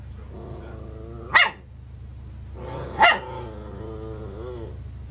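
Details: Muggs, a 12-week-old schnauzer puppy, barks at himself in the mirror: two sharp barks about one and a half seconds apart, with whiny, growling harmonics between them, over a steady low hum.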